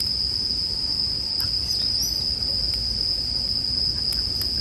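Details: Bell crickets singing in a sleep soundscape mixed with a crackling campfire: one steady, high, thin ringing tone held without a break, with scattered faint ticks and pops of fire underneath.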